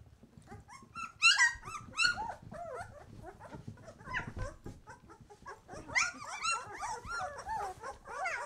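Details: Twelve-day-old White Swiss Shepherd puppies, just opening their eyes, give a chorus of high, wavering whimpers and squeals, several overlapping cries rising and falling, louder bursts near the start and again after six seconds.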